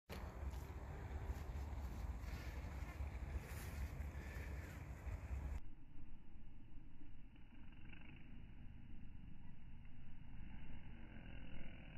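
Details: Only low rumbling noise like wind or passing traffic is heard, with no animal sound. The texture changes midway as the background shifts, but no calls or buzzing stand out.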